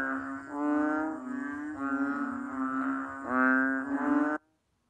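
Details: Low, resonant, bleating moos from a banded bullfrog, several overlapping drawn-out notes of steady pitch that merge into a buzzy drone before cutting off abruptly near the end.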